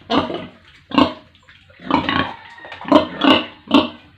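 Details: Farm pigs with piglets in an Indian village make six loud separate grunts over four seconds, rough and nasal, the later ones carrying a short squeaky tone.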